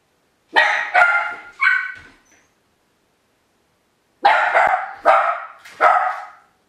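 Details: YLVA, a Miniature Pinscher left home alone outside the kennel for the very first time, standing in the hall: two bursts of three sharp, bright barks, separated by a pause of about two seconds of silence.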